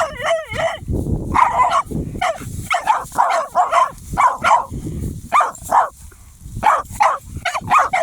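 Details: Jagdterrier, a German hunting terrier, that has found a hedgehog gives a wavering whine, then a rapid run of shrill, excited yapping barks, several per second, with scuffling in the background.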